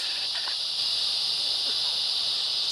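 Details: Summer cicada chorus in Fl, insects singing to find mates; a dense, shrill continuous buzz fills the recording without pause, faint clicks and soft background sounds barely showing underneath.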